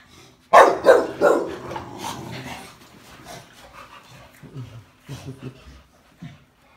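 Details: Olde English Bulldogges, four dogs together: a loud burst of three quick barks opens, then softer whines and short woofs trail off with a few muffled barks near the end.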